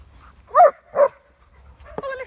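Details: A dog gives little woofs while watching other dogs during a reward-based training session: two short, soft woofs about half a second apart, then a fainter sound, with quiet room noise.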